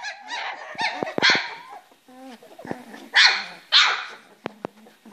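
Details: Three-week-old Springer Spaniel puppies in a play box: scattered short yips and squeals with pauses between, a brief low growly grunt, and sharp knocking taps from movement.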